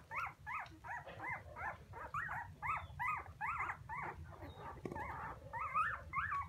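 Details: Crying puppies calling for their mother: a string of short, rising-falling squealing whines repeated about twice each second, steady and insistent, with a low hum underneath.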